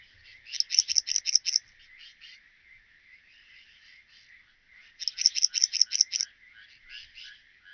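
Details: Graceful bush-cricket (Pachytrachis gracilis) song at Vela Učka, Croatia, 30 July 2023: bursts of about eight sharp, high, scratchy chirps over about a second, repeated after roughly four seconds, with softer lower buzzing between.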